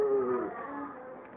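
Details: A puppy trying to imitate people growling gives a brief, tonal growl that starts firm and fades over about a second, sounding like a walrus.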